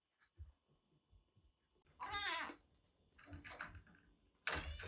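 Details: Kitten rescued from heavy rain in western Japan, suffering a cat cold, kept indoors in Kagoshima; one loud meow, then softer rough cries and a final sharp call, with low thumps and handling noise around them.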